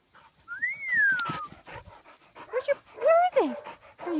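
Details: A dog playing in a field gives a high, sliding whine that rises then falls, followed by short yelping whimpers with overtones, while a person speaks encouragingly nearby.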